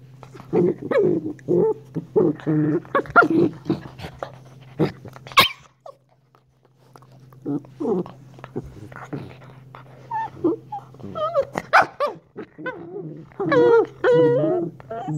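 Young Shiba Inu barks come in quick, clipped bursts, some rising into wavering, whining yelps toward the end. A steady low hum runs underneath most of the recording.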